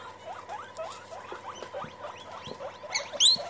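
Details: Guinea pigs meeting and getting together: a run of short rising chirps repeated several times a second, building into a louder high whistled wheek near the end.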